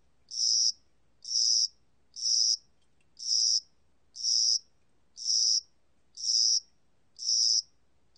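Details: Cricket singing in spring and summer: high, buzzy chirps about half a second long, repeated steadily about once per second, against a quiet background.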